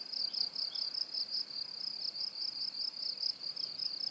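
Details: Steady cricket song intended for tinnitus masking: a piercing, high trill of fast regular pulses, about two or three beats each second, continuing without pause over a quiet hiss.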